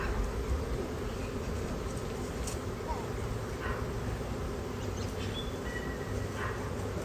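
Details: Honeybee swarm that arrived out of nowhere on a nice-weather day: a continuous, thick droning hum without breaks, low and broad, with faint brief higher noises scattered through.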